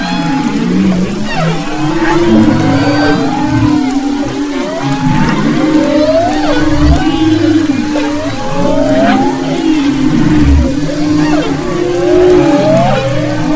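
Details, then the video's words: Humpback whales off the west coast of Maui in February 2011: a dense chorus of sweeping, looping moans and upswept whistles, with steady low droning tones beneath and overlapping phrases repeating every second or two. "Humpback Whales and Their Songs"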